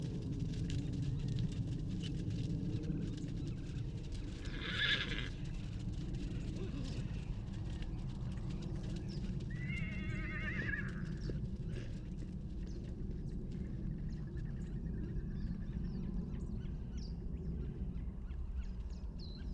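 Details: Wild horses at the Salt River, Arizona, where a baby horse is separated from his mother, taken with a long-range microphone: two short whinnies, around five and ten seconds in, over a steady low rumble with scattered hoof clicks.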